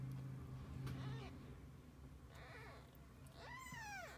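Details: Kittens with their mother cat spending the day together; faint meows near 2.5 seconds, then a clear arched meow rising and falling near 3.5 to 4 seconds, over low steady hum and brief knocks.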